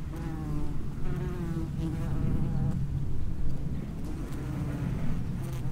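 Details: Underground nest entrance of common wasps, a continuous deep hum of many wings with gliding harmonic lines as individual wasps fly in and out.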